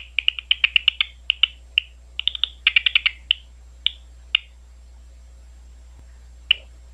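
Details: Quick ticking pulses from a big brown bat, recorded on the Ohio State University grounds. Tight clusters of clicks slow to sparse single ticks, then a long quiet gap ends with one last click.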